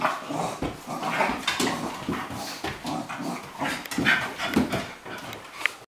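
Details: Romping together, Cairn Terrier Bonzo and Flat-coated Retriever Pippi make low rumbling growls and breathy grunts in near-continuous rough bursts, ending with a brief higher squeak before going quiet.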